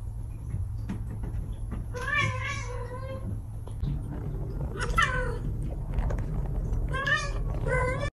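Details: Young domestic cats, a brother and sister, meowing in August: three clear, drawn-out meows about two to three seconds apart, each bending down at the end, over a steady low rumble and faint voices.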